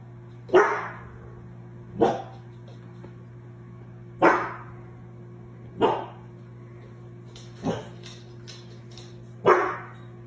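A German Shorthaired Pointer gives loud, single barks spaced a couple of seconds apart.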